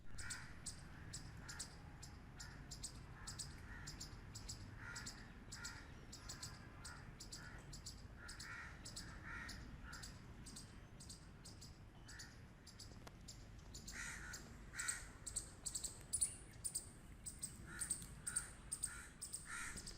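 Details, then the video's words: A squirrel barks in a long fast series of short, harsh, raspy notes, roughly two per second. Later in the series the barks grow louder and more spaced, over a low background hum. "Squirrel Barking Noises | Loud Squirrel Sound Effect"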